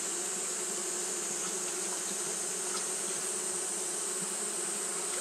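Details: Japanese honey bees fanning continuously on a hot day: a steady, droning wing hum with low tonal bands, under a constant bright high-pitched hiss, with faint scattered clicks.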